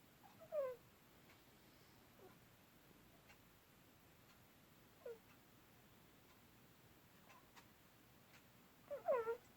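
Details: Sleeping cat indoors giving three short, squeaky mewing sounds: a falling chirp near the start, a brief squeak midway and a louder double mew at the end, with long quiet gaps between them.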